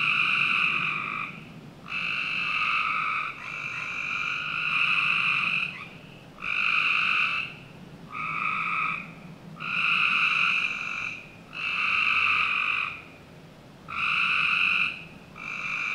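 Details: Frogs calling on a summer night in the backyard of a Northern Virginia home: loud, buzzy, even trills about a second long, repeated roughly every two seconds with short gaps, over a faint steady low background hum.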